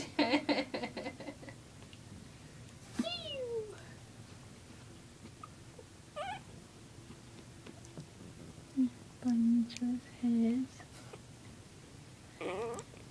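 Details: Puppies playing roughly indoors, one chewing on another's face: a harsh yelp at the start, then a high whine sliding downward, and later a run of short, tonal whimpering notes, with people talking quietly in the background.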